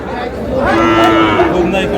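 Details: Sahiwal bull calf calling at Aftabganj cattle market, Dinajpur, on 4 August as sales open: one clear, sustained, harmonic-rich moo rises and holds for about a second, with crowd murmur low behind it.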